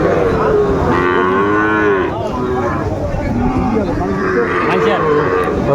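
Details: Sahiwal bull calves at Ambari cattle market (haat), Dinajpur, Bangladesh, 27 May 2024: a drawn-out, tonal moo that slides downward, then a second long, level moo a few seconds later, over constant crowd chatter and bargaining voices.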